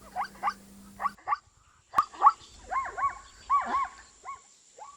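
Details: Zebra from Africa neighing: short bursts of rising-then-falling barked notes, a few quick ones first, then louder arched doubled calls after a pause, with a faint steady high tone in the background.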